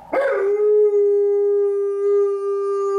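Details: Indoors on stairs, a female Alaskan Malamute responds to a passing ambulance on a gloomy afternoon with one sustained howl, a quick rising onset settling into a steady, rich, even tone lasting about three seconds.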